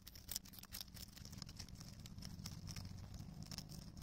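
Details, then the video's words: Rabbit on Okunoshima, Rabbit Island, in June 2021, thoroughly chewing cabbage: quick crisp crunches in uneven bursts over a steady low rumble. "【キャベツしっかり噛んで食べてるね 健全な咀嚼音】大久野島 うさぎ"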